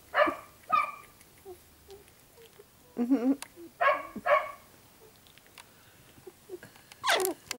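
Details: Puppies that are starting to get mobile, giving short, sharp yips in pairs, a wavering whine near the middle, then another loud yelp near the end, with quiet gaps between bursts indoors.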